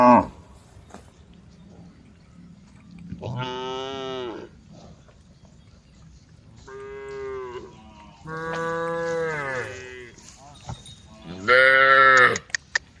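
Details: Tame female cows calling the herd: four drawn-out moos spaced a few seconds apart, the third longest and the last loudest, with small clicks and knocks between calls.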